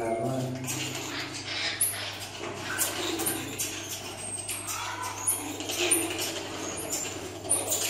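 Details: A pair of pet common marmosets (Callithrix jacchus) give brief, very high chirps, repeated every second or so, over a steady low hum and some murmured voices.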